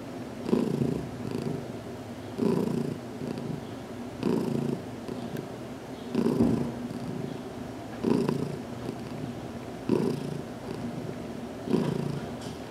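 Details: Domestic cat Heidi purrs contentedly while receiving her first head massage in a small closet; a deep, even rumble rising and falling in regular pulses about every two seconds across the recording.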